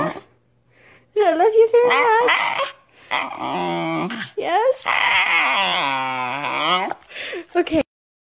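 A corgi vocalizes in drawn-out, yodeling whines and moans, its pitch bending up and down like speech. The sounds come in several long phrases with short pauses between them.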